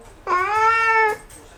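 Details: Domestic cat meowing loudly after spotting a bug, one drawn-out, clear harmonic meow of almost a second, steady in pitch, with faint room noise around it.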